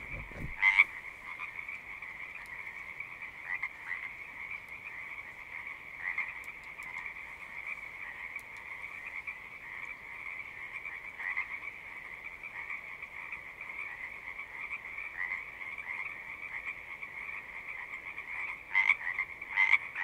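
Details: Loud, close frog chorus at a pond in a horse pasture, recorded with a Zoom device: a constant bright trilling drone, with sharper individual calls jumping out at the start and again near the end.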